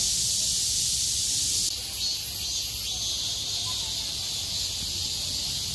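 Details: A cicada chorus rises after the rain stopped on 6 August 2020. A continuous high hiss is joined partway through by an even higher, shrill buzzing voice with slight pulsing.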